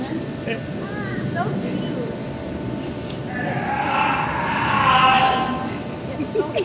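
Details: Screaming seal at the New England Aquarium, a call once mistaken for someone drowning: a broad, hoarse, rasping burst swells from about three and a half seconds and peaks near five, over steady crowd chatter and a low mechanical hum.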